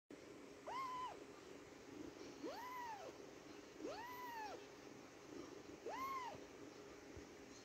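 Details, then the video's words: Indoor kitten meowing nonstop: four arched, tonal meows with rising-then-falling pitch, each about half a second long and spaced roughly one and a half to two seconds apart, over a faint steady background hum. "ต้มข่า แมวน้อยอินดี้ ร้องเหมียวๆ ไม่หยุดเลย/ indy kitten like to say meaw meaw"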